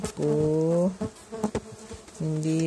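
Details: Stingless bee (Tetragonula biroi) from a feral hive, boxed and inspected for the first time one month after transfer; a steady, low harmonic buzz comes in two bursts of under a second each, separated by a quieter gap with faint clicks.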